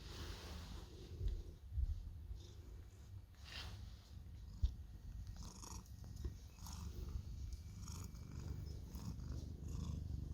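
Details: Orange pet cat demanding affection, purring quietly; a soft, continuous low rumble throughout, with faint rustling and small handling noises above it.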